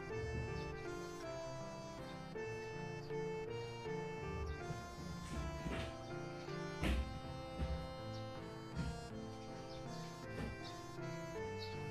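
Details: Background music with sustained reedy, wind-instrument tones and shifting chords plays throughout, with no animal sounds heard.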